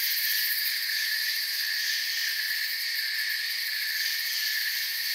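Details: Crickets in a forest keep up an unbroken shrill chorus, bright layered trills holding one pitch and volume across the short stretch.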